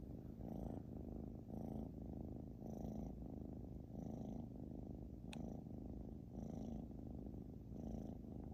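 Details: British Shorthair cat snoring loudly indoors: steady low rumbling breaths repeating about every 1.2 seconds, each a broad, throaty buzz, with a brief click midway.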